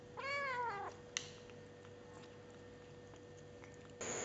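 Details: Indoor kitten giving one short wavering meow while eating, followed by a click and near silence with a faint steady hum.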